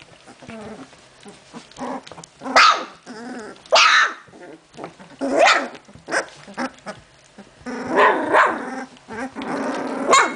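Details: Litter of puppies indoors, recorded 14 June 2013: several high yelps and short barks with squeals and growly scuffling, bursts every second or two amid constant rustling.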